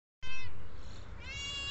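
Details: A kitten, one of several young cats at feeding time, gives a single drawn-out meow, falling and then rising again, over a low rumbling background.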